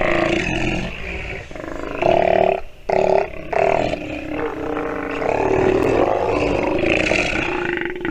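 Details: Sea lion pup calling while suckling, a near-continuous run of rough, roaring, harmonic wails that rise and fall in pitch, broken by short gaps around the middle.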